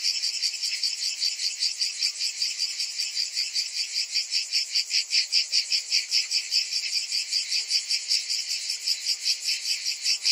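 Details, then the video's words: Cicadas calling on a hot summer afternoon, a dense continuous high buzzing chorus pulsing rapidly and steadily, about two and a half pulses per second, with no other sounds. "Cicadas in Summer"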